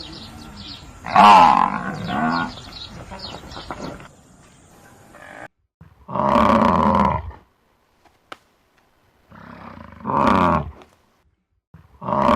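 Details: Buffalo in grassland, with a calf present, give loud, harsh, moaning bellows in separate bursts of one to two seconds, with short silences and a faint outdoor hum between.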